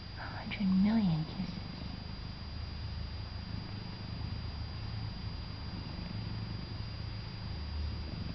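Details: Purring pet cat that quacks instead of meowing, held and kissed by his owner: one loud, short nasal quack that rises and dips, followed by a long rumbling purr.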